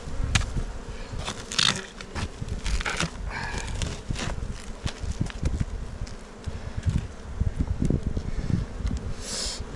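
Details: Honey bees in a kept hive on Jirisan, South Korea, during a beekeeper's inspection on a day of poor weather. A low steady hum sits under loud crackling and clicking from frames being handled.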